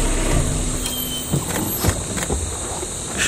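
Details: A vehicle engine rumbles steadily with a few mechanical clicks and knocks, and no animal voice is heard.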